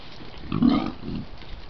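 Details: Wild boars caught on a trail camera while rubbing against a tree: a short, low, rough grunt, followed moments later by a second, softer grunt, over faint background hiss.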